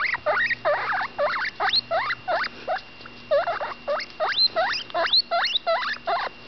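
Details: Baby guinea pig Butterscotch, female and roughly ten days old, chatters while eating: a quick series of squeaky upsweeping notes, some with a hooked twist, roughly three each second, over a faint electrical hum.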